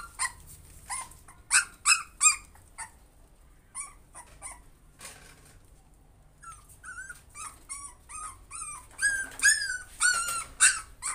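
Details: Fearful puppy trying to overcome fear, giving irregular bursts of high yelps and short whines, sparse in the middle, then a dense run of loud, bending whimpers over the last four seconds.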